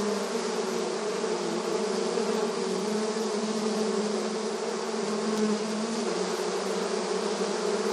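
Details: Crowd of honey bees active at a beehive entrance outdoors in the countryside, giving a continuous, even drone of many wings with a deep steady hum and airy overtones, no pauses throughout.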